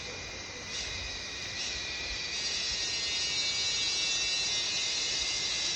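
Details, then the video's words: A dense, steady insect chorus shrills high and continuous, a loud buzzing wall of sound in the Sinharaja rain forest jungle. "INTO-THE Jungle - insect loud noise (sinharaja rain forest)"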